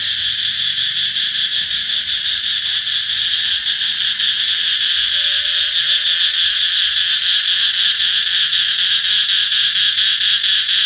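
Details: Cicadas ringing out before summer, a shrill unbroken hiss-like buzz with a fast, fluttering pulse, steady in loudness across the whole stretch.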